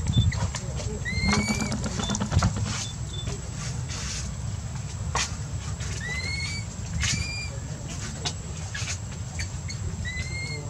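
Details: Baby monkey crying loudly because it needs its mother for milk: short, thin rising squeals, each sliding upward and repeated at uneven intervals, over steady low background rumble.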